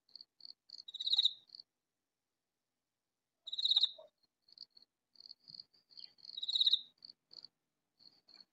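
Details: Katydid calling loudly, hidden somewhere in a vegetable garden: three high, raspy, buzzing bursts spaced nearly three seconds apart, with soft, short ticking pulses filling the gaps between them.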